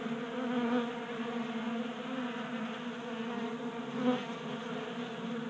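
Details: Wintertime honey bees active in warm January weather in Colorado, gathered at a tabletop feeder; dense droning hum from several bees, swelling slightly as individuals fly close.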